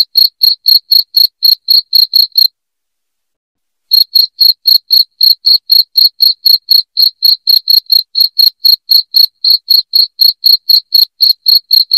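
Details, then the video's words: Cricket calling loudly, used to repel rats indoors: rapid bright chirps around four each second, a brief silence of about one and a half seconds near the start, then the same even rhythm continues alone. "SUARA JANGKRIK NYARING PENGUSIR TIKUS"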